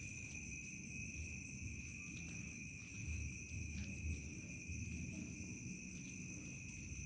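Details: Crickets at nightfall in a countryside village produce a continuous, even, piercing trill on two pitches, set against a muffled low background murmur.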